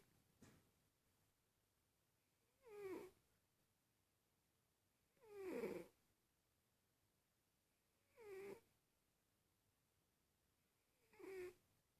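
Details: Domestic cat snoring indoors: rasping, throaty breaths with a faint voiced buzz, about four strokes repeated every two to three seconds, with quiet room tone in between.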